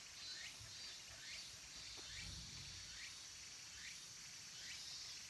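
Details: Cicadas at Kabusanji temple in the wooded mountains of Takatsuki City, Japan, near summer's end: an unbroken shrill hiss, with rhythmic rising chirps recurring about every 0.7 seconds and a low thump midway.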